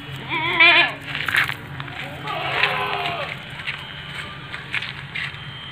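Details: Seven-month-old female Etawa goat, 70 cm tall, of the Kaligesing Etawa line, gives two wavering, quavering bleats, the first short and the second longer, while people talk nearby.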